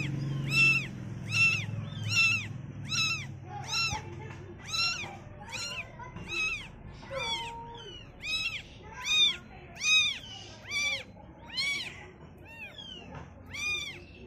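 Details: Baby cats seeing the world for the first time keep up a steady series of shrill, arched meows, roughly one every second for fourteen seconds, with a low murmur audible early on.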